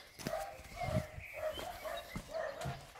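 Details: Major, a German Shepherd, romping in water after a walk, gives rapid repeated whiny yelps about twice a second over splashing water, with a man speaking close by.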